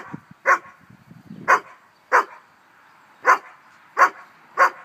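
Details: Barbet dog playing with its son in a pool on a hot summer day, giving six loud, clipped barks about one every second, with soft splashing between the first ones.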